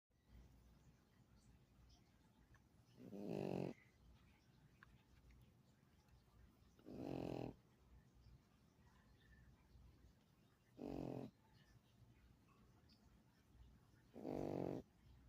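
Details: A pug snoring while asleep, four long rasping snores spaced about four seconds apart, each a low buzzy rumble lasting under a second, with quiet breathing between them.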